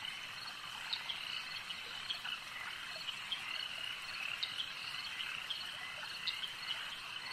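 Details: Frogs at a lake: a dense, steady chorus of high, rattling croaks layered into one continuous shimmer, with brief sharper calls popping out above it every second or so, and no other clear sounds.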